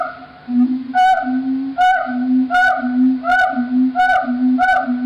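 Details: Monogamous gibbon pair duets in Cambodian primeval forest, recorded with a directional microphone as a morning male–female exchange: a steady low hoot answered by clear, rising, swooping high notes about every second.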